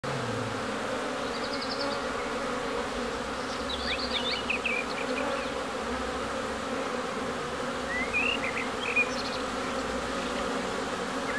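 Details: Bees in Ebersberg: a continuous, steady droning hum with layered tones, joined by scattered high chirps and short twittering phrases from small birds in the background.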